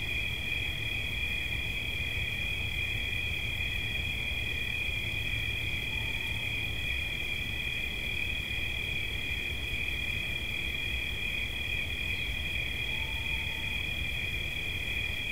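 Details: Crickets as relaxation sounds: a steady high trill in two layered pitches pulses continuously throughout, with a low rumbling background and two faint, brief mid-pitched tones.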